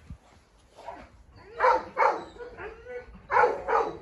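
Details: A Presa Canario named Huniu, a Rottweiler and a Staffordshire terrier squabbling at a kennel: paired sharp barks come in two bursts, with quieter whining yelps between them.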